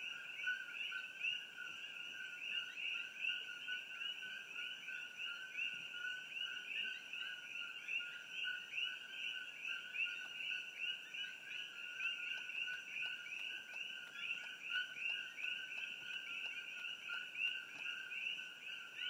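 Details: Many Coqui frogs call together in trees along Old Mamalahoa Highway near the Hawai'i Tropical Botanical Garden, Hilo, Hawaii. A steady wall of paired notes, a short lower note followed by a higher upswept chirp, with little background noise.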